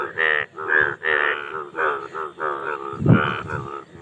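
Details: Indian bullfrogs (Hoplobatrachus tigerinus) give loud, nasal, lowing croaks in quick succession, a mating call to attract mates.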